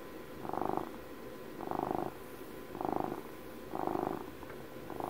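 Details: Twelve-year-old pet house cat purring steadily at close range: rhythmic buzzing pulses rise and fall roughly every second, five surges in a row, with quieter rumbling between them and a steady low background hiss.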